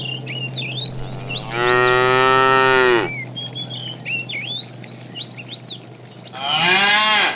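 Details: Fat cow calling the female as a herd of tame cows is driven in the afternoon. A long, full-bodied moo of about one and a half seconds, a second higher moo near the end, and busy bird chirping throughout.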